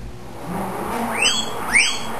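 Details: Spike, a pet guinea pig, singing for his supper when the salad spinner is used before feeding; two loud squealing whistles, each sweeping up then down, come about half a second apart late in the clip over a quiet room.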